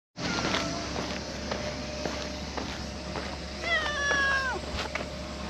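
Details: Harbour cat that looks up and asks with its eyes when petting stops, giving one drawn-out meow with a falling harmonic stack near the end, over steady low hum and faint background noise.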